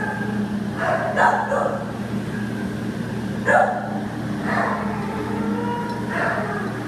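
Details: An American Pit Bull Terrier awaiting adoption, recorded September 15, 2015, gives four spaced, fairly hoarse barks across roughly seven seconds, with a constant low droning hum underneath.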